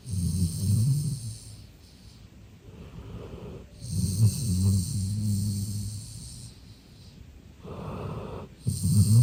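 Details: Deeply relaxed sleeping golden retriever named Eve, male, born October 2021, snoring loudly: a series of heavy, low, rattling snores of uneven length, some short puffs and one long rolling snore, with soft breathy gaps between.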